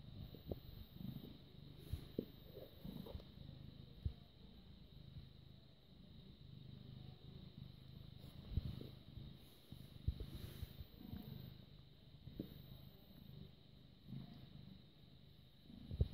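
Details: A British Shorthair cat, about six and a half years old, purrs with a soft, steady low rumble broken by occasional small bumps and rustles, recorded on 6 May 2017 at 21:55.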